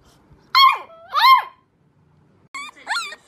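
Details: Young puppies attempting their first howls inside a small room: short wavering yelping howls in two pairs, bending upward then dropping, with a soft whimpering tone between, faint background hum.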